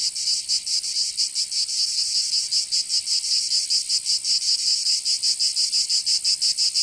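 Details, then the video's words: High, sizzling cicada song from Provence, southern France, in summer. Rapid rhythmic pulses of about four per second ride on a continuous hiss, unbroken throughout. "Canto Cigarra"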